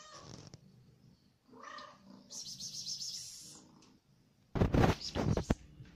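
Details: Hungry domestic cat while eating: low rumbling purr-like pulses, a short harmonic meow-like cry, then bursts of loud rustling and chewing noise at the end.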